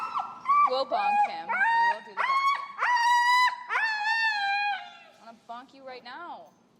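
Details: Finn, an extremely vocal dog in a Chicago recall training session with an e-collar, gives a run of high, drawn-out whines that hold steady, then bend up and down, in several long phrases before fading into shorter, softer cries.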